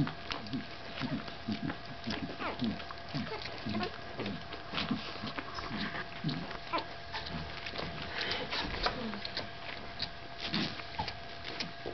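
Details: Gladius, a Staffordshire Bull Terrier puppy at 15 days old, makes soft, low, short grunting and snuffling sounds in quick irregular succession, mixed with faint clicks and a steady background hum.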